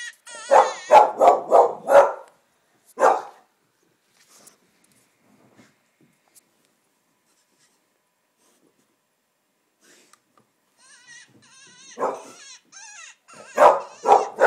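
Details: An English Springer Spaniel indoors gives bursts of sharp, rapid barks, confused by high yipping coyote calls playing from a coyote-hunting video on a computer, heard between its barks.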